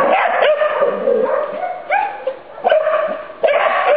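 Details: During a training session, Irish Terriers Sonny and Jerry produce a steady, strained whine broken by sharp yipping barks at roughly one-second intervals.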